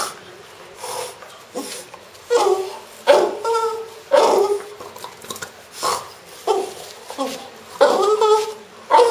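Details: French Bulldog named Pro, a pet, making strange sounds: short harmonic whining and grumbling bursts, some sliding downward, spaced irregularly with quiet gaps between them.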